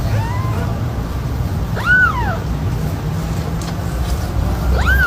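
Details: Playing kittens give three bright, arched meows, each sweeping up and then sliding down, spaced about two seconds apart over a constant low droning background.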